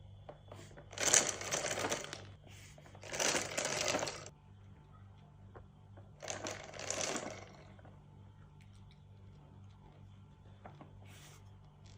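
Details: Three bursts of crinkling, rustling noise over a low indoor hum in a small room, with no animal call.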